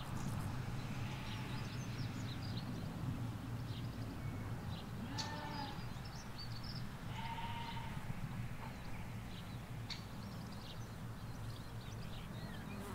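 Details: Ewes and lambs grazing a Hampshire field: two or three short, soft bleats mid-clip, over constant low traffic hum from a nearby road and scattered small bird calls.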